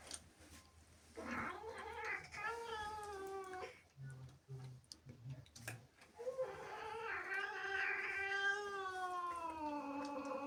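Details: Female house cat, annoyed by kittens sharing her home, produces long harmonic caterwauls: a level moaning yowl, a pause with soft low thumps, then a swelling wail that rises, holds and slowly falls.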